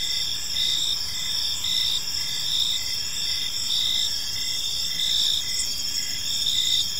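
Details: Park crickets in the evening produce a dense, unbroken high-pitched ringing. Short pulsed chirps repeat steadily about every half second beneath it, with no other clear sounds over the low background hiss.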